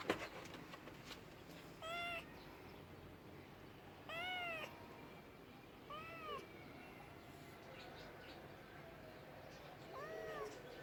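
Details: Domestic cat producing clear arched meows about every two seconds, four distinct rising-falling cries over a steady low hum of background noise.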